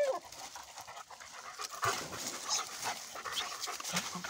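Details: Mixed-breed German Shepherd dog panting: rapid, breathy, noisy puffs run continuously through the clip with no voiced calls, over a light background hiss.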